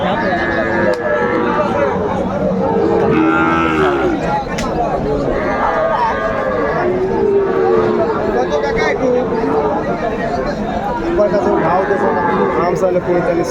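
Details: Sahiwal and Friesian bull calves at a Tangail cattle market in Bangladesh, 2 May 2024: many lowing calls overlap, rising and falling one after another, mixed with people talking and general market bustle.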